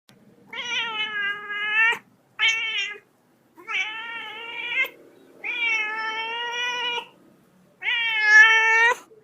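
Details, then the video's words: Little kitten meowing repeatedly: six drawn-out harmonic meows of varying length, some wavering in pitch, coming in quick succession with brief pauses. "LITTLE KITTEN MEOWING"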